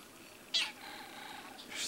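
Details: Cat on a mosquito hunt, unable to reach its prey: a sudden bright onset opens a steady, level harmonic meow of about one second, ending with a second brief squeak.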